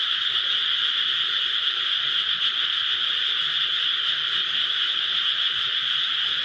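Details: Frog chorus from rice paddies close to a house in Japan, many callers merging into one continuous high, rattling trill that holds level for the whole stretch without pauses.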